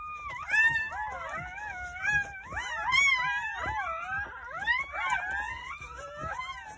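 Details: Loud, insistent squealing from newborn Jindo puppies, nine born on New Year's Day at a countryside house over a morning birth; many tangled high wailing cries overlap continuously, swooping up and down.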